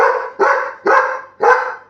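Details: Pet Labrador Retriever named Buddy barking on command as someone urges it to bark louder; four loud, harsh barks about every half second, each a short broadband burst with brief quiet gaps.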